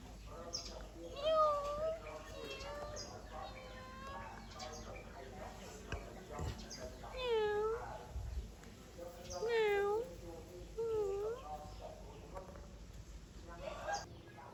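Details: Kitten meowing in a series of five or six drawn-out, bending meows spread across fourteen seconds, each rich in bright overtones, with faint talking and a low steady hum underneath.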